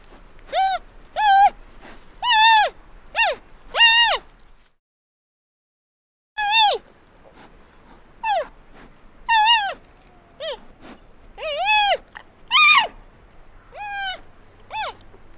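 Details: Giant panda cub giving a series of short bleating squeals, each rising then falling in a wavering arch, in bursts of one to three with a silent gap near the middle.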